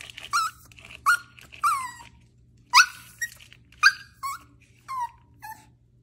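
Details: Maltese puppy giving a rapid string of about ten high, squeaky yelping barks that drop in pitch, some with a whiny edge, spaced under a second apart in a quiet room.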